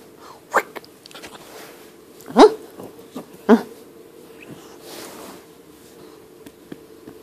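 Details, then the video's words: Eight-week-old Great Dane puppy named Panda Bear, female, playing indoors with her owner; two short, gruff bark-like yelps about a second apart, with faint rustling, soft clicks and a steady background hum. "Great Dane puppy at 8 weeks"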